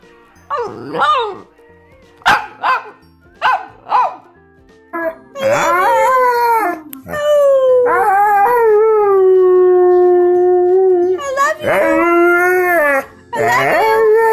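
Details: Pet dog 'singing' in a funny compilation, opening with short sharp yips and barks, then breaking into long sustained howls that slide downward and hold steady, with music playing in the background.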